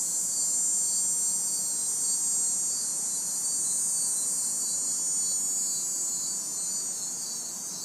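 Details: Loud continuous high cicada buzz over steady pulsing cricket chirps, recorded in a city backyard on a hot, humid summer night, with faint distant traffic noise.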